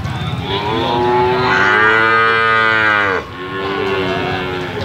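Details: One long, full moo from a calf lasting about two seconds, harmonic and slightly rising, followed by a quieter, lower bellow as it ends.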